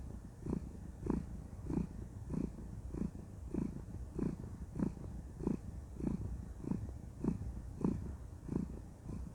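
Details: Contented female cat purring while cuddling: a low, rumbling purr pulsing steadily about every 0.6 seconds, each pulse swelling and fading, with no other sounds.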